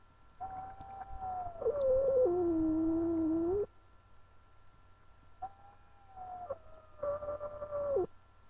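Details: Female house cat Angel protesting at being held, giving two long moaning yowls that start level, then slide lower and waver, separated by a quiet pause over a constant low background hum.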